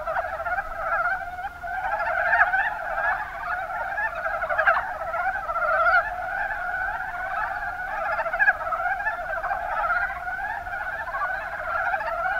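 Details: Mountain brown frogs, Rana ornativentris, chorusing in the Kuma Basin, Kumamoto Prefecture, Japan; overlapping quick croaks form a steady throbbing mass, some nearer calls briefly rising above the rest.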